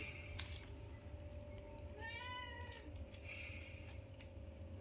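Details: Newborn kitten, one of five, playing with its mother indoors: a single clear harmonic meow of about half a second, slightly wavering, over a steady electrical hum and low rumbling background noise.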